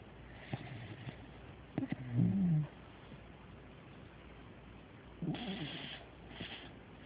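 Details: A very tired pet dog asleep and snoring: rough, breathy snore bursts about five seconds apart, with a short, low, bending moan between them in a quiet room.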